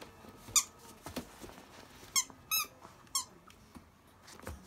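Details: Akita puppies at 52 days old, litter of the mother dog Jun and still fed mostly on her milk, the biggest over 7 kg: four short, high, squeaky whimpers with a steady tone, spaced irregularly, over soft indoor rustling.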